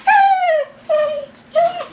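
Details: Whippet-Lurcher cross named Coco crying for a walk indoors; three clear whines, each starting high and sliding downward, the first longest, spaced by short gaps of near silence.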